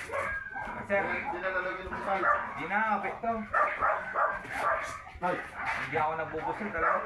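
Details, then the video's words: Labrador Retriever during a stud session at Labit West, Urdaneta City, Pangasinan; high, arched whimpering whines and short yips rise and fall in quick bursts, mixed with people talking close by. "Labrador dog stud session"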